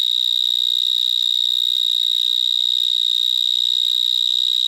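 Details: Vineyard mole cricket (Gryllotalpa vineae) stridulating in a vineyard in Gironde between Bordeaux and Libourne, evening of 22 March 2010, recorded from about 30 cm: a loud, unbroken, shrill, piercing trill, steady like an electronic alarm.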